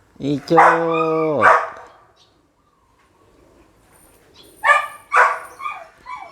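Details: Red-nose pit bull, mother with her puppies: a long, drawn-out whining cry that slides downward, then a pause and two sharp barks followed by short yips, with a man's voice nearby.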